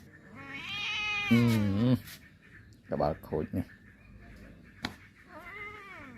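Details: Two pet cats indoors in a small room; a long rising, wavering meow followed by a lower strained cry, then three short choppy meows, with a person speaking Khmer softly between calls.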